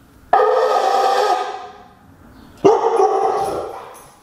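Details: Pet Siberian Husky howling in a tantrum at the blowing of a conch shell horn: two loud, harmonic-rich vocal bursts, each starting abruptly and fading over about a second and a half.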